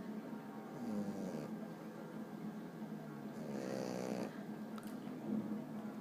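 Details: A French bulldog sleeping on his back snores steadily, with low rumbling breaths and a louder, rougher snort-like snore midway, all in a quiet indoor setting.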